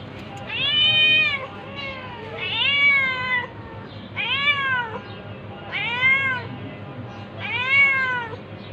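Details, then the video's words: Tabby cat attacking ginger cat, with a series of five or six loud arched meows, each rising then falling, repeated roughly every one to one and a half seconds over a faint low hum. "Cat's meowing but tabby cat attacking ginger cat"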